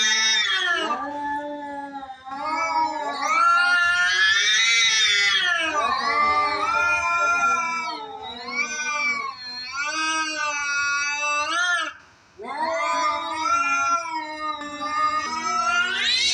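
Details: Fighting house cats exchange continuous rising and falling yowls, wavering and strained, with brief pauses and overlapping voices, one deep and one shrill, lasting throughout.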